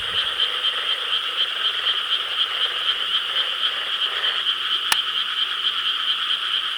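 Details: Many frogs croaking together in rice paddies in Korea on a summer night, 4 July 2013; a dense, continuous chorus of overlapping pulsed croaks forming a steady high wash, with one sharp click midway.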